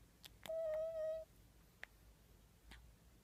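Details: Talking in his sleep while dreaming, Bub the cat gives one steady, level mew lasting under a second, followed by faint ticks and rustles in a quiet room.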